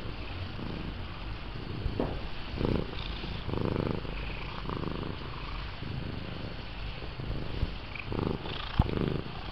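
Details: Steady, deep purring from Missy, a lynx point Himalayan cat, as she makes herself at home on a lap, the rumble swelling and easing in gentle cycles.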